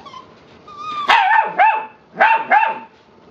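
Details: Eight-week-old rescue puppies, possibly a Labrador Husky mix, giving two pairs of sharp, yelping barks with a rising-then-falling tone, each pair closely spaced, after a brief faint whine and quiet background.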